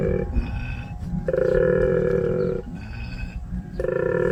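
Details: Wild male koala, Mr. Wally, growling in anger among the trees of the Sunflower Hill homestead in Australia: a deep, pulsing low rumble throughout, broken by droning tonal bursts of about a second, repeating roughly every two seconds.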